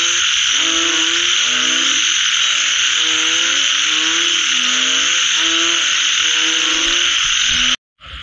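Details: Frogs calling after rain: overlapping harmonic croaks, some rising and some falling, repeat in quick bouts over a steady loud high insect drone, ending in a brief drop to silence.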